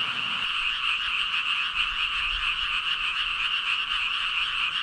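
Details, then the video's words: Thousands of frogs, said to number about 5,000, calling all at once: a dense, unbroken wall of rattling, buzzy croaks that holds steady from start to finish with no pauses and no other clear sounds. "개구리 수천마리 개굴개굴 울음소리"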